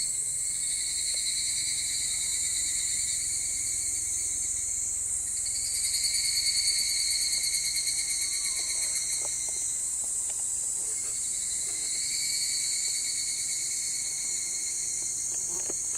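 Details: Higurashi cicadas on the afternoon of 25 July 2010: a steady, high, shimmering drone of fast pulses with no breaks, swelling slightly in the middle and near the end, over faint distant background noise.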